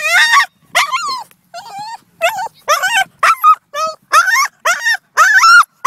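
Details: Boston Terrier, a male pet dog, excited and frantic near another dog: a rapid series of high, strained whining yips and squeals, each bending up and down, about two per second with short gaps, no other sounds.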